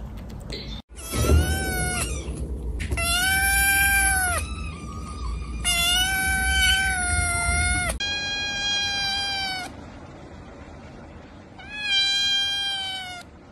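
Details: Domestic cat in a close-up kitten compilation, giving a series of drawn-out harmonic meows, some level, some rising then falling, with short gaps between calls and a faint low hum behind.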